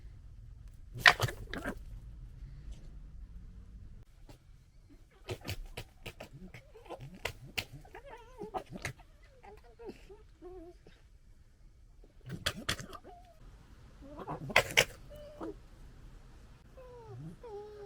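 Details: Playing and fighting European red fox cubs, summer 2021, captured with a DJI Osmo Pocket 2: loud rattling clusters of stuttering gekkers in bursts, interspersed with short squeaky whines and yelps, with pauses of low hum between outbursts.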